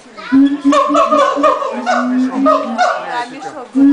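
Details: Siamangs calling at the LA Zoo right before lunch time, the male taking center stage; overlapping steady, hooting tones with higher wavering notes layered above, coming in loud bursts that break off briefly.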